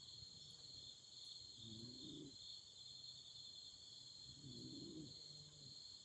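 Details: Autumn insects chirping at night beside a campfire: a steady, unbroken high trilling chorus runs throughout, while two low, soft hooting bursts rise beneath it about three seconds apart.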